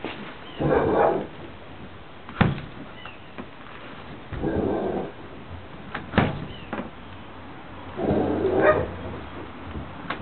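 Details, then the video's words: Cowboy, a pet dog, waiting at a window for the mail carrier: muffled barks in bursts about every two seconds, mid-pitched and thick, with sharp knocks and bangs against the window between them. "Cowboy the dog waits for mailman."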